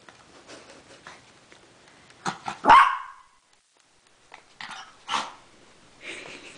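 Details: Pet dog Mac, finding another dog in the house, gives a single sharp bark partway through, bracketed by softer rustling and clicks and a person coaxing in a high voice.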